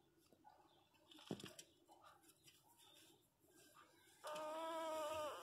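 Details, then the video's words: Newborn Miniature Pinscher puppies, asleep and dreaming: soft rustling and faint squeaks, then a sudden loud, sustained cry with rich harmonics, holding steady and dipping slightly at the end over its last second. "filhotes de pinscher recem nascidos dormindo e sonhando"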